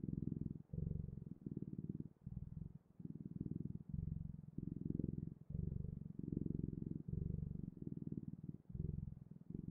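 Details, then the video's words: Domestic cat purring steadily, a low rumbling pulse broken into bursts of about half a second to a second by brief pauses, each burst matching an inhale or exhale; no other sounds. "Purring Clouds: The Best, Ultimate, and Magical Sounds of Cat's Purring"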